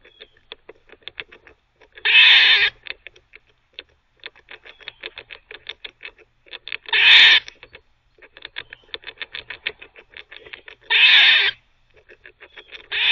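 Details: Squirrel barking while teething: a steady run of quick dry ticking chucks broken about every four to five seconds by a loud, harsh, wheezing bark lasting about half a second, heard three times.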